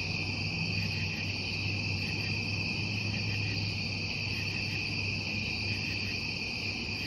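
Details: Crickets calling at night in a meditation soundscape: a dense, unbroken high trilling chorus with two steady shimmering pitch bands, over a constant low hum and faint rumble throughout.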